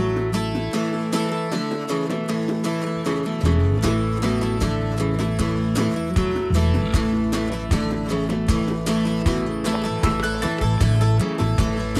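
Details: Strummed acoustic guitar music plays steadily throughout, with a deep bass line and no animal sounds.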